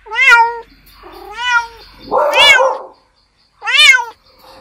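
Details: Kittens playing give short high meows, one drawn-out lower mew and a rougher noisy call, in a small indoor space.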